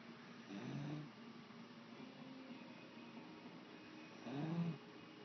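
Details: A beagle sleeping and snoring: two low, drawn-out rumbling snores roughly three and a half seconds apart, with a quiet pause between them and no other clear sounds.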